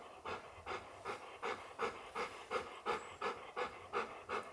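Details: Golden Retriever, a father meeting his puppy son for the first time, panting: quick, even breaths repeated almost three times a second, each a soft broadband huff, steady throughout in a quiet indoor setting.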